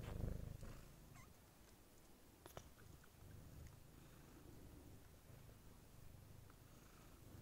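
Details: Somali kitten born 14 November 2019, raised in a home alongside other cats and people, purring softly: a steady, low, quiet rumble throughout, after a brief louder thump at the start.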